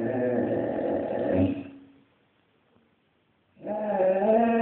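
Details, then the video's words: Two sustained howls from a Basset hound begging on the street, with a gap of roughly two seconds between them. Both are rich in harmonics, and the second rises slightly as it goes on. "Basset hound begging on the street"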